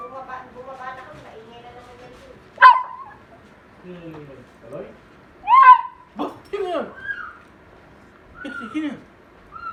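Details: Pug making weird noises when its owner comes home; a run of harmonic whines, yelps and warbling moans that rise and fall, with sharp louder squeals around the middle and gaps between bursts.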